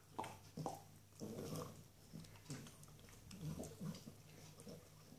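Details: Small Norwich Terrier girl busy with a tasty bone, making short low growly grunts in quick bursts between crunching chews in a small room.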